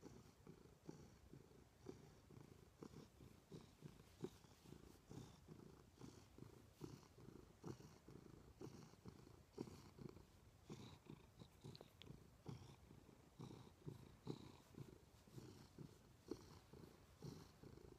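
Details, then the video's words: Domestic cat Milo purring steadily beside its owner in bed: a continuous deep, grainy rumble with rhythmic breath pulses throughout, the room otherwise quiet. "My Cat Purrs Loudly!"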